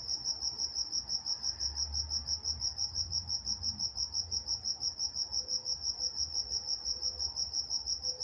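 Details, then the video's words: Crickets chirp through the night in Walnut, California, a bright, regular pulsing trill near three beats a second, accompanied by a soft low rumble and a few faint tonal notes later. "Night Time Crickets in Walnut, California"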